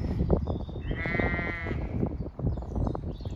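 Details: Zwartbles ewes in a lambing field in County Kilkenny, Ireland, getting up and calling because they expect to be fed; a single wavering, tremulous bleat of under a second amid rustling, footsteps and handling noise.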